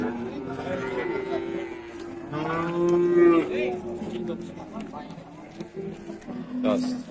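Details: Cattle at an Indonesian livestock market in Randudongkal, Pemalang, Central Java, where calves are measured and sold; long low harmonic moos, one swelling mid-clip, with a second lowing voice and market chatter behind.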